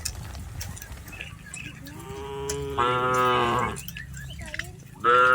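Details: Domestic cattle herded across a rice paddy give a long moo that starts low and swells louder and brighter, followed by another loud moo starting at the very end.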